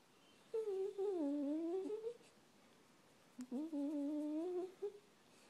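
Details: Pet dog Brando in a small room, making his odd humming noise of contentment when he loves something: two drawn-out, tonal moans about a second and a half each, dipping then rising in pitch, separated by a short pause.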